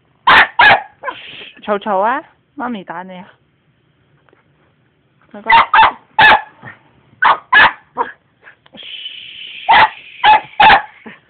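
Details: Elmo, a pet dog that dislikes the vacuum cleaner, barks repeatedly in quick pairs and bursts. Whiny, sliding vocal sounds come early, followed by a pause. A high, steady machine whine joins near the end.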